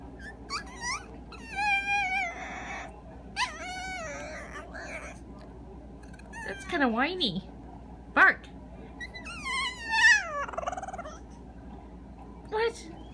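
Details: A 10-year-old Peke-Pom dog learning to 'speak' on command gives squeaky, whiny yips and wavering whines.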